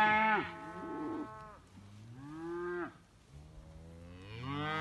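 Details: Young Simmental cattle, heifers and bull calves jumping on one another, give short moos with quiet gaps, each call rising then falling, three or four calls from different animals.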